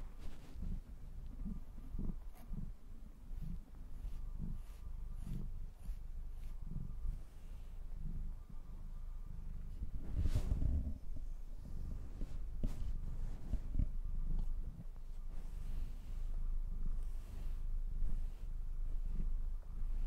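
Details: Purring cat being brushed, a steady low rumble swelling in rhythmic waves roughly once per second, with brush strokes rasping across the fur and a louder rustle near the middle, recorded close up indoors.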